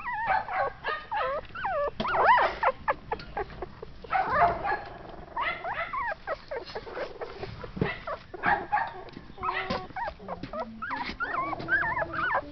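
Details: Shetland Sheepdog (Sheltie) puppies, born 6.4.12, give high whining yelps that bend up and down in pitch, following one another closely for the whole stretch, with softer murmurs in between.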